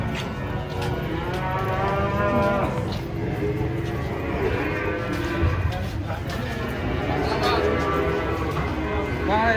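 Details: Giant cattle coming down off a truck during unloading; long, low, droning moos with rich harmonics overlap one another almost continuously, with a second wave of lowing after a few seconds, over background clatter and faint voices.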